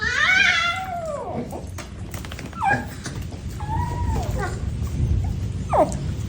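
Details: A dog yawning, shown as a high, squeaky whine that slides down and fades over about a second and a half, then a few brief squeaks and yips, with a low indoor rumble underneath.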